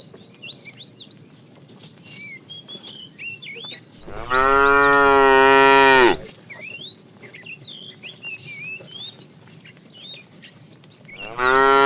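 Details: Calves among a cow herd herded in the morning while searching for food: a strong, drawn-out moo lasting about two seconds, a second moo beginning at the end, small birds chirping busily in between.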